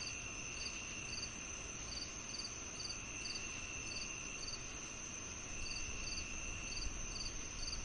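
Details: A cricket chorus of evenly spaced, sharp high chirps, about two per second, above an unbroken shrill drone and soft background rumble.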